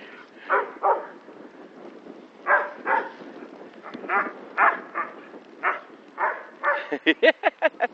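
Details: Alaskan Malamute playing with a cow, giving rough, repeated barks in pairs, then a fast run of sharp yips at the end, with a person calling out in Spanish nearby.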